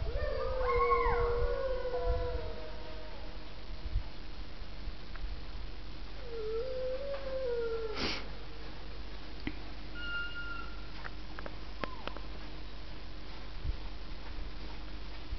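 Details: Several sled dogs in Alaska howl, or "sing", together, their long wavering voices overlapping, then one rises and falls alone.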